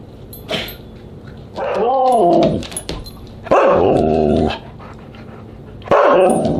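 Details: Siberian Husky at a dinner party on July 24, 2022: a brief sharp yip, then three drawn-out, wavering, talkative calls, each about a second long, rising and falling in a warbling moan with quiet gaps between.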